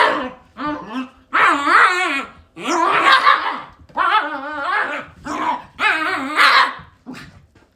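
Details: Pet Shiba Inu dogs in a habit they always repeat: drawn-out, wavering, yodel-like yowls with growly edges come in about five long bursts, each rising and falling in pitch, separated by short pauses.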